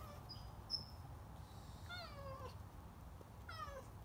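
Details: A stray cat that stopped by a garage during cleaning meows twice, about one and a half seconds apart. Each meow is a bright, descending cry. There is a faint high click early on and a low rumble underneath.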